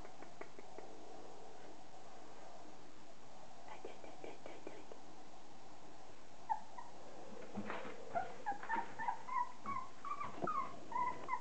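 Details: Thirty-day-old Border Collie puppies, offspring of Kim and Andy, make a run of short high whimpering squeaks in the second half, rising and falling, over faint background noise and soft whispering.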